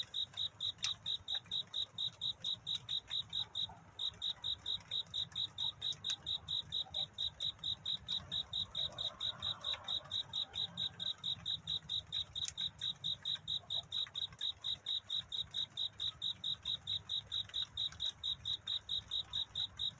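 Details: Cricket courting at night with a song meant to find love. Rapid, metronome-like high chirps run about 130 a minute, with a brief pause near four seconds and a few faint clicks over low background hum.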